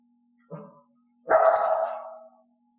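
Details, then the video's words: Mixed-breed female dog indoors during clicker training, offering barks on her own after wall-knocking prompts stopped; a short quiet grunt followed by one loud, harsh, sustained bark lasting about a second, with a faint steady hum behind. "i wanted to see if elaine would offer the behavior and bark on her own"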